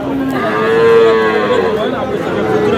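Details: Sahiwal bull calves on sale at a Bangladeshi market in Dinajpur let out a long, rich-toned moo that swells in the middle and then tapers, with voices and crowd noise around.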